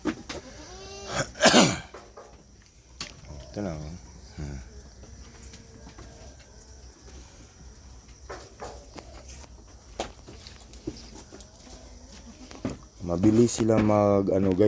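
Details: Farm goats in a herd where several does are close to kidding and many young have recently been added; loud quavering bleats early on and again at the end, with a man speaking and background music between.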